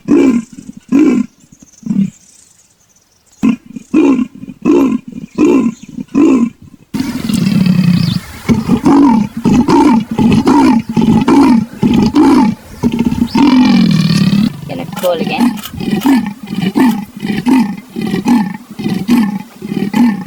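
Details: Leopard rasping calls in several bursts: a regular series of short, hoarse grunts with a quiet gap, then a denser, louder stretch of rough strokes that includes one drawn-out, sliding grunt.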